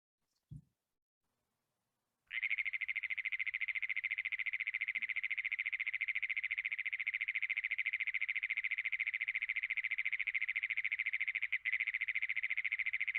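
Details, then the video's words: Great Plains toad trill from Iowa call survey training, starting after two seconds of silence: a sustained, rapid, machine-like pulsing buzz held for over ten seconds, like an engine failing to start. "hopefully you can hear what I was saying, that it kind of sounds like you're trying to turn over an engine that won't turn over,"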